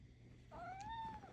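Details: Domestic cat giving a single drawn-out meow while being coaxed indoors, the tone rising then gently falling over about a second; a woman speaks encouragingly in Korean around it.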